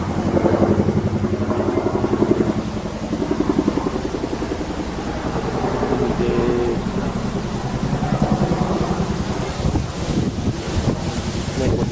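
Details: Steady engine rumble like a passing motorbike or car, mixed with indistinct voices, recorded outdoors at Enoshima, Japan, on 7 October 2009 before Typhoon 18 made landfall.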